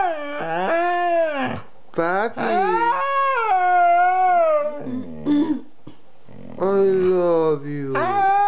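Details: Vocal 'talking' from a Siberian Husky aged two: sliding, moaning howls rising then falling, a held wavering tone in the middle, then a grumbling low yowl and a final rising howl.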